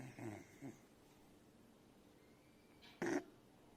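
A Beagle puppy snores softly, with low rumbling breaths and a sharper snort near the end.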